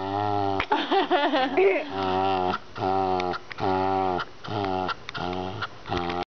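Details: A male Shetland Sheepdog "talks" while urged on: warbling, groan-like moans of about half a second each with brief breaks. An excited opening bout bends up and down in pitch before settling into steadier moans.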